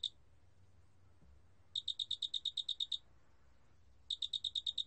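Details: High, metallic chirps from a large spotted cricket arrive in a burst of about twelve rapid pulses. A silence of roughly a second follows, then a shorter burst begins, all over a soft low background hum.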